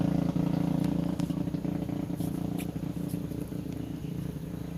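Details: Persian cat mother with three kittens born one day earlier, purring in a steady, low, rumbling pulsed hum that runs without pause, with a few faint clicks above.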